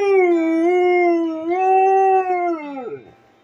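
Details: A female Siberian Husky howls along to her alarm song, with music playing: a long, steady, tuneful howl that wavers slightly and rises midway, then slides down and fades out at the end.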